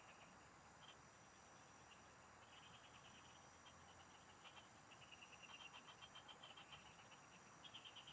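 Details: Field frogs singing while an angler fishes; scattered short trills at first, then denser rattling pulse trains from several frogs late in the stretch, set against a continuous high-pitched insect buzz.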